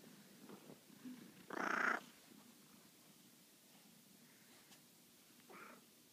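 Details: Maine Coon cat waking its owners affectionately to say it's time to get up; one loud, short meow, then a much fainter one four seconds later, in quiet indoor surroundings.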